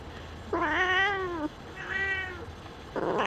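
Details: Singapura kitten, newly curious and peeking out of its nursing bed indoors, gives two clear, drawn-out harmonic meows about a second long each, the first slightly falling, followed by a short rustle.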